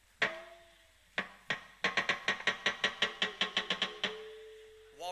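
Hard, percussive knocks from a walrus start out spaced, then roll into a fast drumming series of about a dozen beats. A steady tonal note follows at the end.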